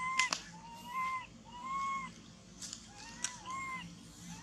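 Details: Lost baby monkey hugging a tree and crying for its mother, body shaking; a steady series of tonal, rising-then-falling wails, each under a second long, with sharp clicks and rustles between them.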